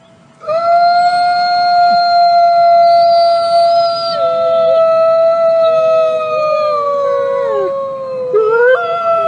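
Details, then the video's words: Wolf howling: a long, steady, pure-toned howl held for about eight seconds, sliding slightly lower toward the end, with a second voice briefly overlapping at a different pitch and a short rising note at the close. "صوت الذئب"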